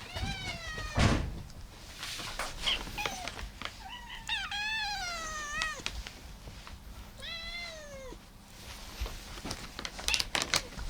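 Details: Several domestic cats among fourteen munching food indoors, on a rescued calico's last day before adoption; a run of drawn-out harmonic meows, some rising then falling, repeated by overlapping voices, with light eating clatter underneath.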